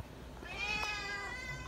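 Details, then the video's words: Srintil the cat crying for food: a single sustained, loud meow rising then holding steady for over a second, bright and strongly harmonic, over a quiet room background. "TERIAKAN SRINTIL MINTA MAKAN BIKIN TELINGA SAKIT"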